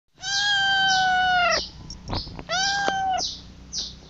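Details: Kitten calling for its mother: two long, steady, harmonic-rich meows, each held about a second and a half, with a brief gap between. Faint, rapid high chirps repeat throughout the background.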